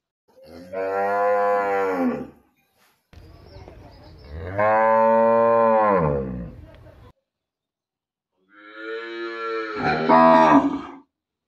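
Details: Cow. Three loud moos from a cow, each lasting about two seconds with rich, stacked harmonics. The last one rises into a rougher, strained bellow before cutting off.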